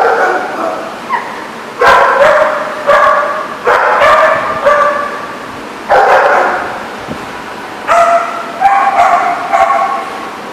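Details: Barking dogs at a dog lot on 22 September 2014; irregular bursts of harsh, tonal barks and yelps from several dogs, some in quick doubles, over steady background noise.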